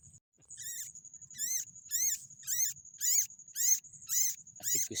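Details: Baby rats, described as rice-field pests, giving high, thin squeaks. The chirps are harmonic, slightly rising and falling, and repeat about twice a second over a steady high hum. Faint low rumbling sits underneath, and a short low noise comes at the end.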